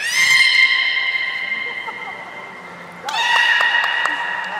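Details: Beluga whistles from a training session with Gray, Nana and Nico at Port of Nagoya Public Aquarium on 1 January 2019: one long steady nasal tone fading away, then a second tone that sweeps up sharply and holds.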